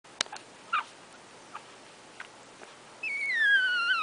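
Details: One-week-old Shorkie Tzu puppies nursing: a few soft clicks and brief squeaks, then a long high whine sliding gradually downward over the last second.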